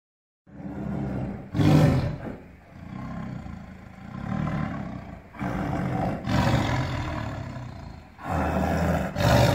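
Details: Angry caged tiger in captivity roaring: deep, rumbling bursts with strong low growl energy, swelling and fading in several waves, with sharper loud onsets near two, six and nine seconds.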